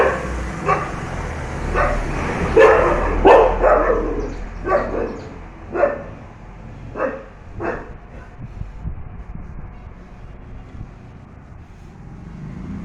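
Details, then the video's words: Rajapalayam dogs barking aggressively to keep a truck from passing their home: about nine loud, sharp barks over the first eight seconds, coming in uneven bursts, then fading into a low rumble of a vehicle. "Aggression of Rajapalayam dogs... not allowing truck to cross our home..."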